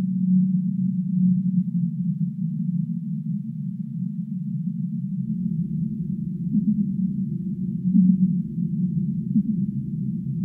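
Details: Humpback whale song for sleep: low, drawn-out moaning tones near the bottom of the range with brief steady notes. A dull, muffled rumble fills the background and deepens halfway through.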